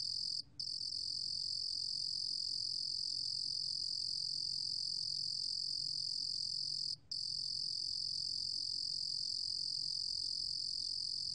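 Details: Lulugom cricket (루루곰귀뚜라미), a 2020 National Institute of Biological Resources recording, repeated for listening: a continuous shrill trill sustained throughout, broken only by two short silent gaps, with a soft low background rumble.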